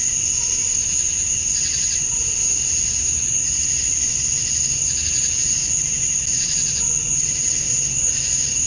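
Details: Dusk chorus of male cicadas in Georgia, USA, calling to attract females on a summer night. Constant thin high whine layered over rhythmic buzzy swells that come roughly once a second, plus a soft low background hum.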